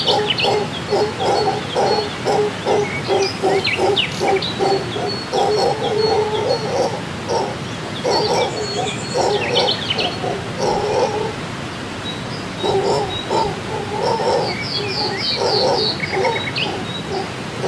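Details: Howler monkeys roar in long, rough, throaty waves with a brief pause, heard on waking while camping in the Costa Rican rainforest, while birds chirp high above.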